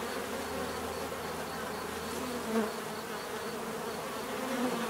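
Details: Bees producing a constant low, thick hum, with an occasional single insect passing a little louder near the middle; a soft high pulsing ticks along behind.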